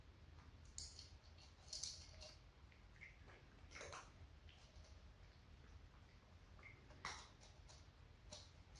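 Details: Dry kibble crunched by a household of four cats, two adult sisters and two kittens: bright, crackling bites come in small clusters over a low steady background hum.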